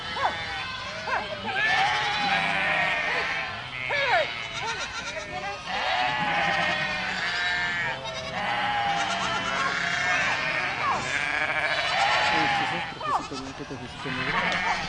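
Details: A herd of goats calling in long overlapping stretches, tremulous bleats of many pitches forming a steady chorus with brief pauses every few seconds.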